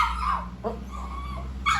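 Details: Restless poodle begs at mealtime with bursts of high, strained whining and a short yelp near the end, set against a steady low hum.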